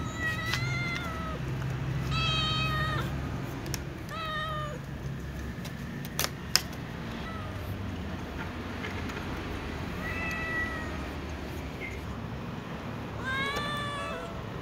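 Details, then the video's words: Tom cat and little ginger and brown cats meowing, asking to be fed among other cats: a series of short harmonic meows in bursts, a few sharp clicks midway, and a rising wail at the end over low background rumble. "tom cat, Little cat , Ginger cat , brown cat meowing asking to be fed with other cats"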